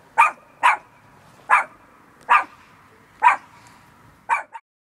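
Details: Fluffy little dog named Bear barking in short, sharp single yaps spaced roughly half a second to a second apart, six barks in all with a clipped final yip, quiet room behind.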